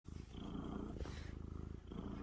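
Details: A friendly male feral cat purring loudly, the kind he does as soon as he is petted, during a first meeting with a house cat. The purr is a steady, deep, rumbling throb with a short break midway.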